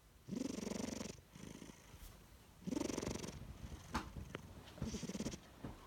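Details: A pet cat named Chino snoring during a nap indoors: three low, rasping breaths with a purr-like rattle, each about a second long, separated by quieter pauses.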